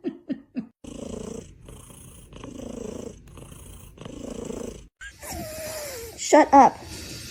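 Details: Kitten or cat in a cute kitten compilation, purring in low rhythmic pulses for several seconds after a few short taps, ending with a falling whine and a brief higher wavering call.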